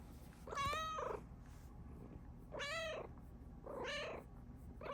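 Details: Female Bengal cat, happy because her owner is home, gives four loud harmonic meows, each about half a second long and rising then falling, spaced roughly one to one and a half seconds apart, against low indoor hum.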